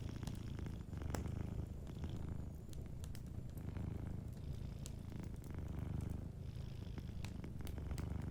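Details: Sleeping cat near a fireplace, purring loudly and steadily: a dense, deep, buzzing rumble swelling with each breath, with light crackles of the fire in the background.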